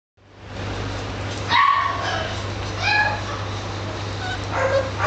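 An Italian Greyhound gives a few short, high yips and whines over a steady low hum.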